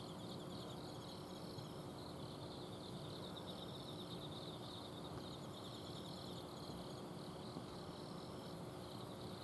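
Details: Night chorus of autumn insects recorded from a garden in Azumino, Japan. Overlapping shrill, rapidly pulsed trills run without pause, set against the steady droning rumble of an air-conditioner outdoor unit.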